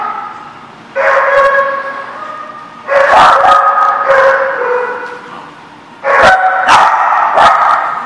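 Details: Barking lot dogs on 25 April 2014 erupting in three loud waves of overlapping barks and yelps about two seconds apart, each fading before the next, with metallic bangs.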